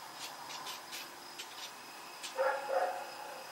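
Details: Rex the dog running around at night on October 7, 2018: several faint, distant barks, then two clearer barks in quick succession near the end over a steady background hum.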